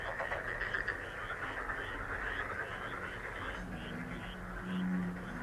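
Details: Lucky-frog healing sound: a thick chorus of frogs making fast rattling, pulsed croaks without pause, joined near the end by a lower droning hum that swells briefly.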